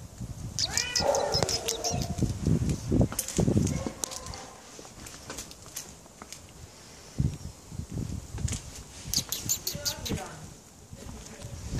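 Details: Moritz, a tomcat adopted from an animal shelter in Germany, meowing because he wants out: a few short rising-falling meows early on and again later, mixed with voices, rustling and footsteps.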